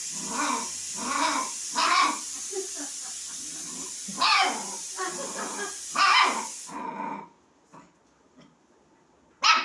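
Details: A puppy barking to draw a kitten into play: irregular yapping barks over a constant high hiss, which cuts off near the end, leaving near silence and one final bark.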